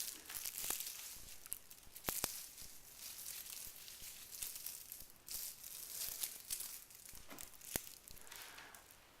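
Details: In a small room, crinkling and tearing rustles with scattered sharp ticks continue throughout, and no animal call is heard.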